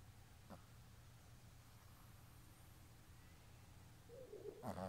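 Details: Boston Terrier. A Boston Terrier snores quietly in its sleep, a low, rough rumble rising and falling with each breath. Near the end a short, higher nasal snort or whimper breaks through.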